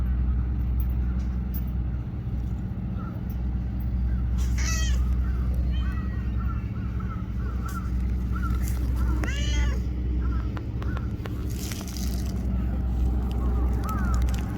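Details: Stray tortoiseshell cat in Japan, petted while sitting close, gives two clear meows several seconds apart plus soft chirping mews, against constant low-pitched background hum and scattered clicks.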